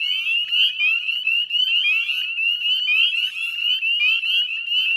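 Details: Many northern spring peepers calling together at dusk, 18 May 2020, by the Chezzetcook salt marsh in Nova Scotia, Canada; shrill, rising whistled peeps pile up into an unbroken high-pitched chorus.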